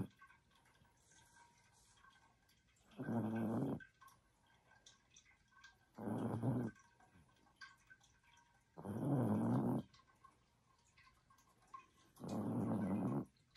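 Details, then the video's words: Female Chihuahua asleep and snoring: four rasping, low breathy snores, each under a second long, coming steadily about every three seconds over a quiet indoor background. "She is snoring"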